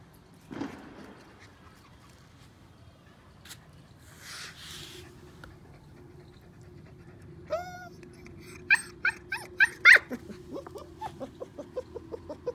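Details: Sultan, a 45-day-old German Shepherd Dog puppy playing on a terrace, starts with a few whiny, falling yelps after a quiet, rustling opening. A quick run of sharp little yips and barks follows, growing louder and then fading toward the end.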